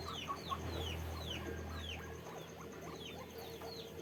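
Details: Farm guinea pigs squeak in rapid high downward-sweeping notes, roughly three per second, over a low droning hum that stops halfway through.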